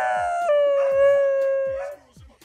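A Corgi gives a sustained, rich howl that dips slightly, then holds steady, almost crowing like a rooster.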